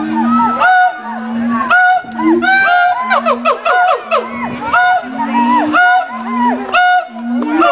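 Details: Two mated siamangs, zoo-kept in Columbus, sing a duet that marks territory and strengthens the pair bond; deep booms alternate with loud barking whoops and bursts of rapid rising calls, roughly one per second.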